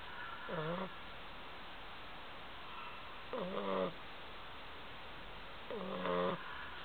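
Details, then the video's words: Sleeping bulldog snoring, three short, rough, buzzy snorts with a low throaty tone, roughly every three seconds, over a steady background hiss. "Bulldog roncando"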